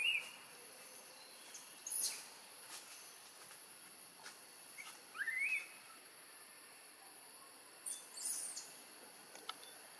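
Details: Newborn baby macaque in Siem Reap Province, near Angkor, crying while hungry for milk after being taken away by Tarzanna for a long time: a few thin, rising wails spaced seconds apart over a steady high hiss.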